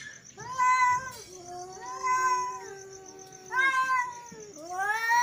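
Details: Angry male cats meowing and yowling: several loud drawn-out arched wails alternating with a lower, long steady moan, the calls overlapping at times, a thin high-pitched hum persisting behind them.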